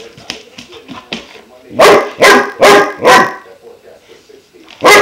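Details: A 5-month-old German Shepherd pup called Klaus, introduced to a water buffalo horn, makes soft muttering whines before four strong, rhythmic barks about half a second apart, then one more bark.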